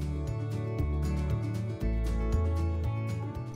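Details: Only background music with steady bass and percussive beats is heard, with no animal sounds. No cat voice or other creature stands out above the instrumental track.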